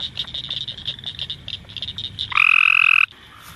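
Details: A Cope's gray treefrog calling at night in a swamp gives a short, loud, harsh buzzing trill after softer rapid chirps.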